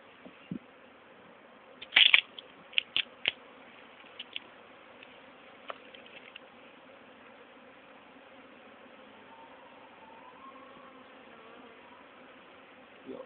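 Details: Honey bee swarm from an old queen, caught and re-hived next day in a poly nuc with a small entrance, 29–30 April 2011; steady low droning hum with a higher layer, broken by sharp knocks and taps near the start.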